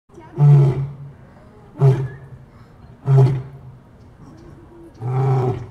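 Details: A lion gives a series of four deep, coarse grunting roars, one roughly every one and a half seconds. Each burst is short and low-pitched with a rasping upper edge, and there is near quiet between the calls.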